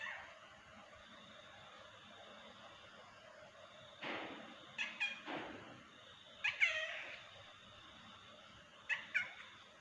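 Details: Kitten giving short, high, bright meows in small clusters, a pair near the middle and another near the end, each breaking off quickly, over a steady faint hiss.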